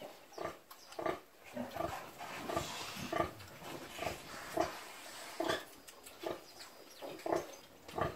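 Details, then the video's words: Farm-raised domestic pigs of a rustic rural type grunting steadily, short nasal grunts roughly every half second to one second, occasional louder squeaky notes, against a hissing background. "PORCO DOMÉSTICO, CAIPIRA, SUBSISTÊNCIA, SUS SCROFA DOMESTICUS, DOMESTIC PIG"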